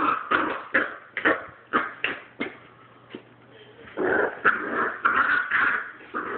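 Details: Young puppy snarling at an older dog, sharp yipping growls repeated roughly every half second, a brief lull, then a longer run of rough, rasping growling.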